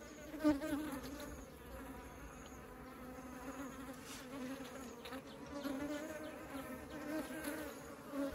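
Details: Honeybees taking honey into the beehive, producing a continuous humming drone of many wings, with individual bees passing closer and louder now and then.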